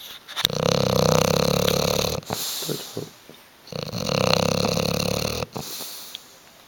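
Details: Bulldog Hugo sleeps on the sofa, refusing to wake or move, snoring loudly in two long, rough, vibrating breaths of about two seconds each, separated by a brief softer pause.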